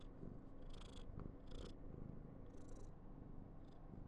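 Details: Female Somali cat, born November 2021, on day 995 at home in a very affectionate, clingy mood, purring with a steady low rumble throughout, with a few faint soft rustles above it.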